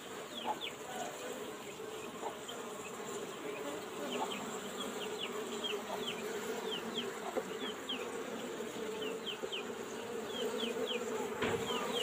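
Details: Asian honey bees in an old-style box hive being opened for honey harvest while smoke is applied: a steady low droning hum throughout, overlaid by short, high, falling chirps repeating about twice a second.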